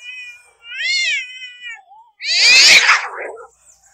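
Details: A domestic cat in a fight utters a wavering, quavering yowl, then a sudden harsh explosive hiss-spit.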